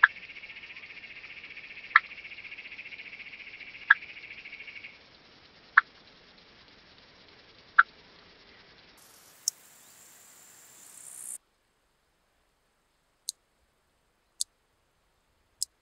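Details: Large marsh grasshopper recorded in Elsbethen, Austria, on 26 September 2021 with an ultrasound detector, noise reduced: crisp, sharp ticks repeated roughly every two seconds, with a steady high hiss underneath and a short higher buzzing stretch midway.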